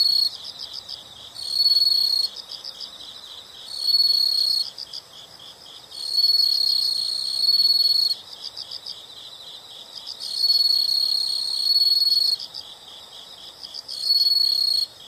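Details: Insect chorus from a natural soundscape: continuous high-pitched pulsed chirping with repeated loud piercing trill bursts of one to two seconds, coming at irregular intervals over the background buzz.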